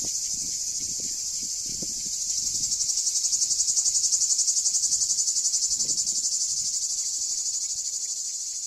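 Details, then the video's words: Summer song of cicadas among the ruins of Ancient Corinth, Greece: an unbroken high, shrill buzz with rapid even pulsing, swelling in the middle and easing again, faint low knocks early on. "A Cicadas' Song in Ancient Corinth"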